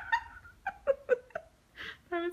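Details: Lucy, a pet bulldog, indoors in a small room while her owner interacts with her, gives a run of short whining, grumbling moans, each bending up and down in pitch, about five in two seconds, ending with a brief human voice.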